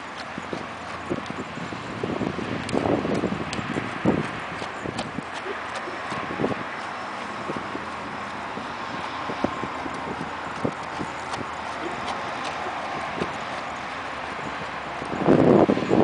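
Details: Arabian horse working on a figure eight; irregular clip-clop hoof strikes, at times quicker, mixed with occasional soft thumps, ending in a louder rushing burst.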